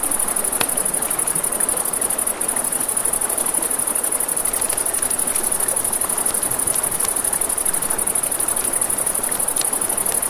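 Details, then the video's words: Crickets by a river after dark, their piercing high trill constant from start to end, mixed with frequent snapping crackles of a campfire and a broad hiss of running water. "Crackling Fire, Crickets, Ambient Nature Sounds"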